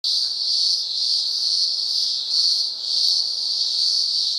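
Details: Cicadas calling in daylight in the upper Blue Mountains, Australia, a loud continuous buzzing drone with a faint higher band above, gently swelling and dipping in volume every second or so.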